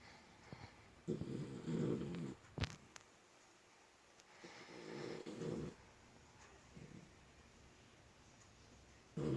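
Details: Snoring puppy: two long, rough, breathy snores of about a second and a half each, separated by quiet breathing, with a sharp knock between them and another snore starting at the very end.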